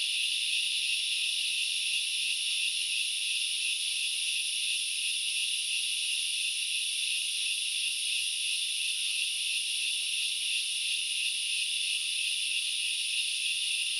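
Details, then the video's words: Sri Lankan forest grasshoppers at Knuckles Reserve, Central Highlands, filling the air with a seamless, high, sizzling buzz that never pauses or changes pitch. "The sound of locusts / The grasshoppers sounds"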